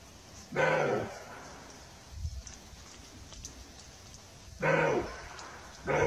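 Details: Roe deer giving three short, hoarse barks, each a harsh broadband burst of about half a second, spaced unevenly, the last cut off at the end; a faint low thud in between over a quiet background.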